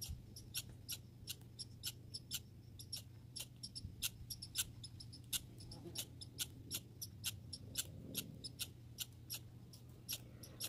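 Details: Backyard grey and red squirrels giving rapid, crisp ticking calls in an uneven stream for about ten seconds, with a constant low background hum.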